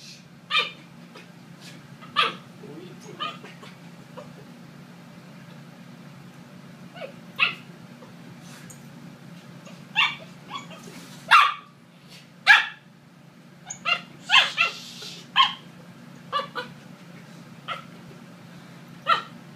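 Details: A 12-week-old corgi puppy playing with a boy gives sharp, high yips and barks in irregular bursts amid playful commotion.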